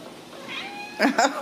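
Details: Home-raised Ragdoll kittens at a central Kansas cattery: after a faint thin whine, three short, high, bright meows come in quick succession within half a second.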